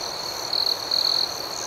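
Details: Two short, bright cricket trills ring out over a softer continuous high chorus on a calm night.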